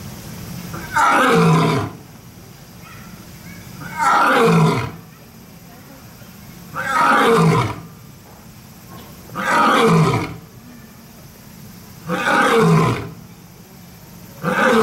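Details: Lion or tiger at Kyoto City Zoo roaring: a series of five loud, harsh roars, each a falling grunting burst lasting about a second, repeated roughly every two and a half seconds, with steady background hiss between them.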